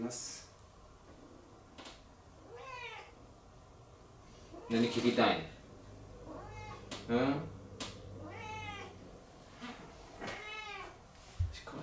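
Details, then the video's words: Pet cat vocalising along to piano music indoors; a series of drawn-out wavering meows, each rising then falling, spaced a second or two apart, mixed with human voices and room noise. "ピアニストの猫は歌うようになります/Pianist cat sings"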